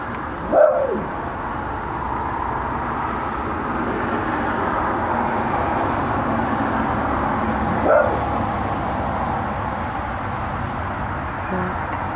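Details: A dog barks twice, about seven seconds apart, each bark short and sharp over steady broadband background noise.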